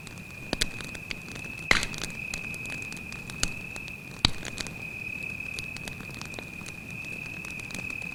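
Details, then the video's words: At night by a campfire in the woods, a cricket keeps up a steady shrill trill at one pitch as scattered loud pops and crackles from the fire break in every second or two. "звуки сверчка"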